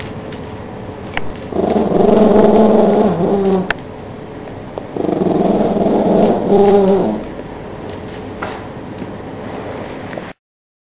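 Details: Pet Chihuahua named Yoda guarding its home from a cockroach, giving two sustained, steady growls of about two seconds each, separated by a short quiet gap, with faint clicks and room noise around them.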